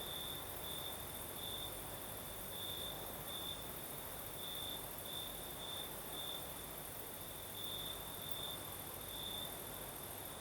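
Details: Crickets in Crimea's south singing during a breezy night: steady shrill trilling on one high note, pulsing brighter every second or so, blended with continuous soft roaring wind across all ten seconds.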